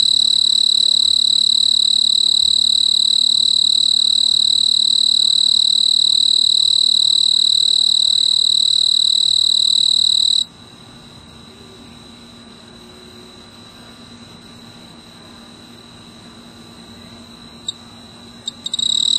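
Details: Snowy tree cricket, a male, trilling for a mate from a purple clematis flower on a veranda in mid-August summer; a continuous high, rapidly pulsed trill runs about ten seconds, then cuts off, followed by quiet with a low hum and a brief resumption at the end.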